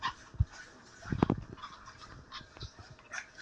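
Shih Tzu puppies give brief, soft whimpers and yips as they beg to be fed.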